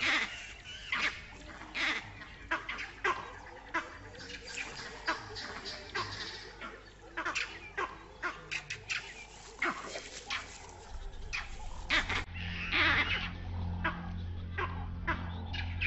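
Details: Vervet monkeys chatter in the distance with harsh alarm calls in quick irregular bursts, echoing other barks and pinpointing a leopard. The calls come from the direction of the den.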